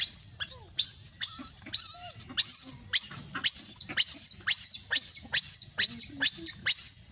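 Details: Monkey calls involving Libby and baby Rainbow among other monkeys: loud, shrill squeals repeated roughly twice a second, each a sharp high cry with falling sweeps, some wavering, over a faint low rumble.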